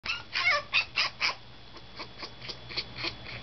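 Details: Toy Poodle puppy crying on its fifth day in a new home while an older resident dog watches: a burst of high, squeaky whines and yelps that quickly fade into softer, spaced whimpers, several each second.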